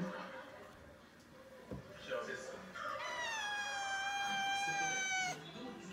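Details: Cat waiting its turn in front of the toilet, forehead pressed near the door; a long drawn-out meow with a stacked harmonic tone from about three to five seconds, gently falling at the end, after quieter rustling and a person's voice.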